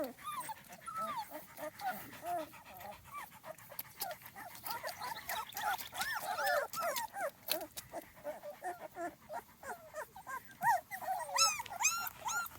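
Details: Several Small Munsterlander puppies, two and a half weeks old, outside for the first time: overlapping, wavering whines and squeals from more than one pup, nearly continuous, with a higher-pitched cluster of yelps near the end.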